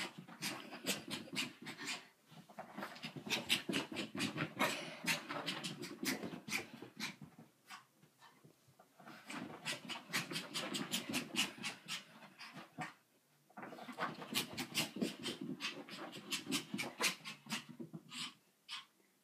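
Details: Pet dog making weird sounds: fast, harsh breathy pants in long runs of about two per second, broken by brief quiet gaps every few seconds, recorded in a small room.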